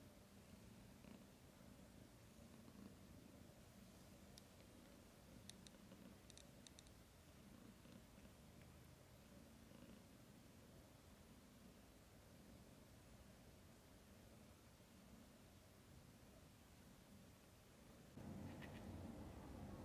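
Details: Mother cat lying with her kittens in their first days. A low, rumbling purr runs steadily throughout, with faint clicks midway and a louder rustling burst near the end.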